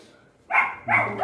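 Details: Two quick, bright barks from Max, a Guntakal puppy riled up by dogs calling outside and demanding the gate be opened, following a short quiet lead-in.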